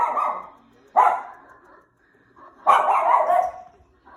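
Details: Dog barking at the TV inside a room, giving two loud rough barks, the first brief and the second drawn out for nearly a second, with a short yip trailing at the end.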